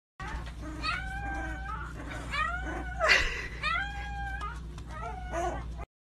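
A Corgi puppy howls in a string of high, wavering notes that rise and slide downward.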